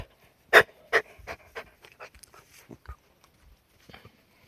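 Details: Cardigan Welsh Corgi puppy named Karen, filmed outdoors on 17 May 2019 before the rainy season; quick breathy panting puffs, two loud bursts near the start, then softer, irregular huffs fading away over a few seconds.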